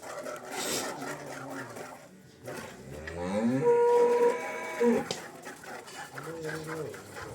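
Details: Cholistani Jersey cross cow, offered for sale in Pakistan on March 12, 2025, lowing once in a drawn-out moo with a steady tonal whine laid over it, framed by softer background rumbling and faint voices.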